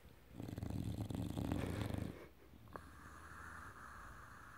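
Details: Enzo, an English bulldog, snores in a small room: a loud, low, buzzing rattle lasting nearly two seconds, followed by quiet, steady breathing and a faint click.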